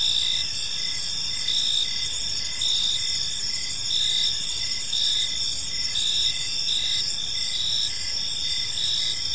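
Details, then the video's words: Park crickets at evening chirp continuously; bright high-pitched trills overlap with regular pulsing chirps roughly every second, a dense, even insect chorus without other distinct sounds. "Cricket Sounds in a Peaceful Park"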